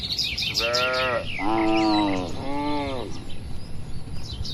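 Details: Tame cattle kept on pasture in an extensive oil palm estate call out three moos in a row, each a steady harmonic bellow fading at the end, with birds twittering faintly overhead.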